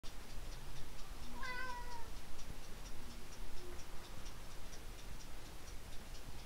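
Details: Pet cat at a window meowing once, a clear drawn-out harmonic meow that bends slightly downward and lasts about three-quarters of a second, over a steady faint ticking and low background rumble.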